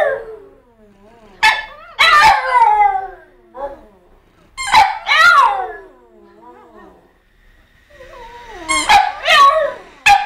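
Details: Several French Bulldogs howling together, recorded 14.9.12: short broken yowling bursts with falling tones and squeaky high yips, arriving in clusters separated by brief quiet gaps.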